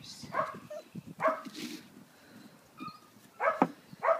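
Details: Puppies indoors giving short yips and barks in bursts around half a second, one second and three and a half to four seconds, with a person talking softly between them.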